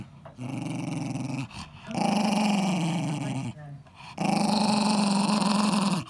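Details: Eddie, a 10-year-old Jack Russell Terrier, growls while guarding his ball indoors: two long, low rumbling growls with a steady buzzing pitch, separated by brief pauses for breath, with faint human speech in the background.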